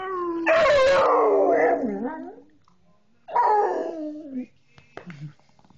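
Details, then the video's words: Coonhound trying to imitate a person's howling, the two voices baying together. A strong, long howl falls slowly in pitch, a pause follows, then a second shorter howl that drops off, ending in a few soft whimpers and knocks. "Coonhound Baying with Person"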